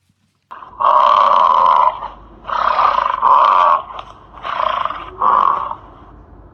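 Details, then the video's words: Elephant calling: four loud, rough, blaring calls, each about a second long and steady in pitch, separated by short pauses over a low background hum. "elephant sounds, funny elephant sounds, baby elephant sounds"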